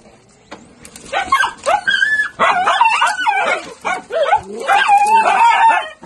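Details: Miniature Dachshunds from a breeder's kennel give a rapid jumble of high yips, short barks and wavering whines, overlapping in quick bursts with brief gaps between them.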